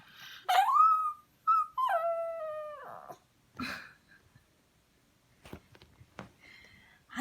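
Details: Dog crying to beg for beef, giving a rising whine that levels into long, steady, slightly falling whimpers, followed by quieter shuffling and faint sounds.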